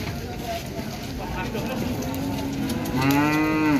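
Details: A jumbo Limousin cow from Gunung Pati, Mijen, Semarang, arriving late in the day, lets out one low, steady moo with rich harmonics near the end, after several seconds of rumbling background noise.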